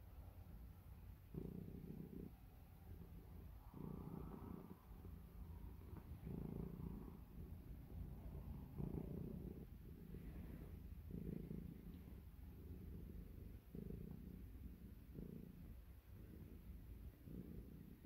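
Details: Pet cat purring as it settles for bedtime, a deep, steady rumble pulsing in slow rhythmic swells roughly every couple of seconds, no other sounds.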